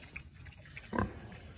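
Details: Berkshire piglets being hand fed on a farm; one short, low, rough grunt near the one-second mark, with faint background noise and quiet human voices around it.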